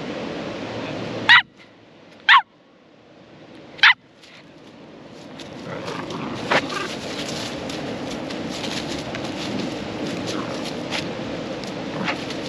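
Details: Jess, a four-and-a-half-month-old female Cavalier King Charles Spaniel, outdoors in the Buckland Valley and a park at Bright, northeast Victoria, Australia; three sharp, high yapping barks about a second apart, followed by steady rushing water-like noise.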